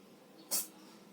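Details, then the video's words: Classic tabby orange cat sneezing once: a single sharp, breathy burst lasting about a fifth of a second, bright and hissy, rising abruptly out of a faint steady background hum and fading quickly. "CLASSIC TABBY ORANGE CAT SNEEZING"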